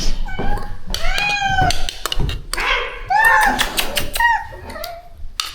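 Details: Shelter rescue cat, a mother whose kittens are being moved somewhere safer, distracted with food: two drawn-out, slightly falling meows and a shorter one, mixed with a woman talking, thuds and knocks indoors.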